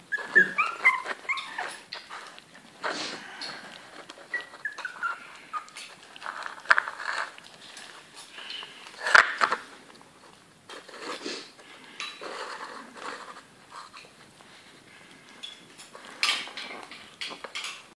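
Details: Bichon Yorkie cross pups at 29 days old, feeding for the first time, with scattered high squeaky whines and short yelps over wet smacking and clattering eating sounds.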